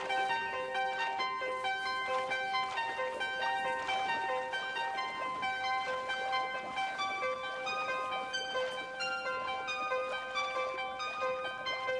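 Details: Piano-led instrumental music plays throughout, with steady sustained notes and repeated melodic phrases and no animal voice.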